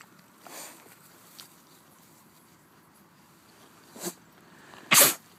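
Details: Swedish pigs sneezing: a short sharp sneeze near the four-second mark, then a louder, harsher explosive sneeze about a second later, over a quiet background.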